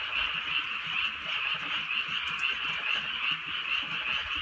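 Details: A rural night chorus of frogs under drizzling rain, a continuous rolling mass of rattling croaks swelling and ebbing in quick waves, one sharp click standing out midway.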